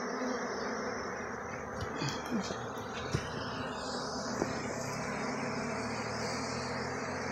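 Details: Swarm of honey bees around hives in Jamaica being handled by a man: a thick, constant buzzing drone, broken by a few sharp clicks and knocks, before talk of how the bees are stored for transport.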